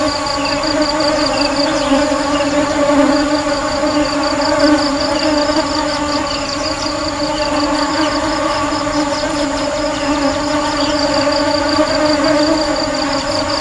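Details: Honey bees: a steady, droning hum with a low tonal base and stacked overtones. It holds an even level throughout, with a faint rapid pulsing high above.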